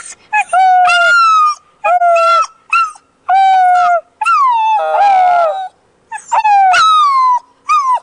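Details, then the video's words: Pet dog howling along with its owner at home: a run of sustained, harmonic-rich tonal howls, each about a second long, some sliding down at the end, with a rougher, noisier stretch midway where the voices overlap. "my dog howling with me"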